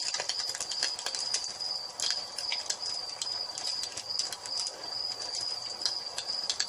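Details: Evening cricket chorus by a fireplace: one continuous high-pitched trill holds steady while wood fire crackles snap irregularly over it.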